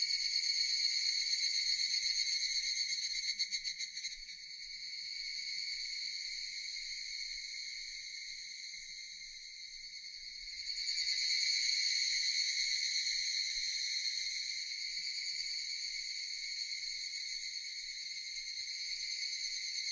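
Japanese cicadas drone in a steady, high, buzzing chorus that swells and fades.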